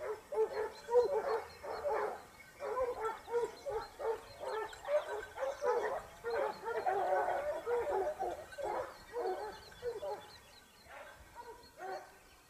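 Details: Basset Hound pack (jauria) on the hunt in Spain, Topsfield Lebrera's second season, 2015-16: several hounds give tongue together in a dense, overlapping chorus of ringing bays that swells in the middle, then thins toward the end.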